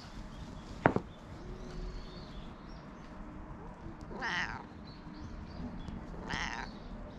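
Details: Cat living at a Japanese cat temple, talking in a rough, husky voice as it is stroked, GoPro recording: one sharp click, then two hoarse rising-falling meows about two seconds apart against steady low background hiss.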